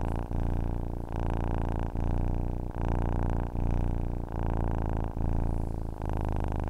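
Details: Steady low purr of a domestic cat for drifting off to sleep, each rumbling phase lasting almost a second and separated by short breath breaks, even and unhurried throughout.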